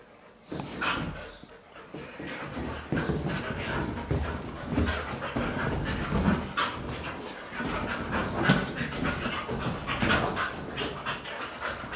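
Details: Playful pet Siberian Huskies wrestling on a couch indoors: quick rhythmic panting runs almost continuously for twelve seconds, with rustling fabric and occasional louder huffs and bumps.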